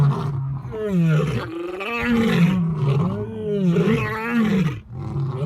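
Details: Lion giving drawn-out, low moaning roars, each rising then falling in pitch, overlapping in a continuous rumbling sequence with little background noise.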